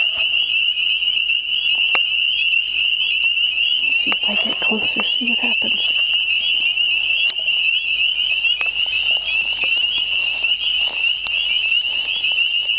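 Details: Spring chorus of unseen spring peepers surrounding the listener: an unrelenting high, ringing peep chorus, with a brief murmur of speech and a few clicks partway through.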